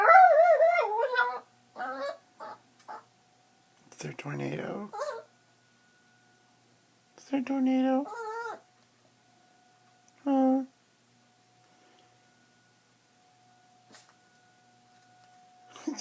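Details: Chihuahua indoors singing along with the weekly tornado siren test: wavering, quavering howls at the start, shorter yips and whines, a faint steady siren tone in the background, and a person talking to the dog.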